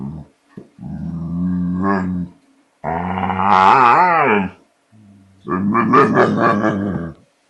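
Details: American Bulldog acting the fool out of fear of a border collie holding his bottle: three long grumbling growls whose pitch wavers and bends in the middle, with a small voice urging him to take the bottle.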